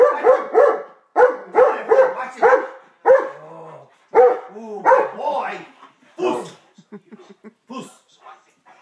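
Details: Taz, a family pet dog acting out his 'attack dog' routine, lets loose rapid rough barks in tight clusters, easing into softer, shorter yips and whimpering sounds toward the end.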